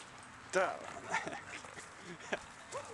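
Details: Lizzie, a lab-shepherd mix, at the dog park in Saint-Eustache, gives a single sharp, loud bark early on, then a few fainter yips as people chat nearby in the open air.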